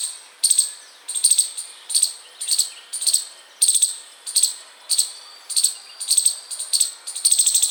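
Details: Chipmunk chirping constantly outside a house: sharp, high chips with a bright ringing tone, repeated in a brisk, slightly uneven rhythm of nearly two per second, about a dozen calls, with no other sounds clearly heard.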